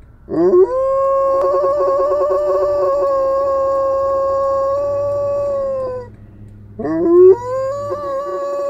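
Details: A malamute howls in response to fire engine noise. A long, steady howl begins with a rising swoop and holds for over five seconds. After a short pause, a second howl rises sharply and then levels off.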